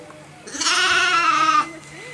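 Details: Miniature Shetland sheep on a farm, just after shearing, lets out one loud quavering bleat lasting about a second, rich and wavering in tone, against a quiet background.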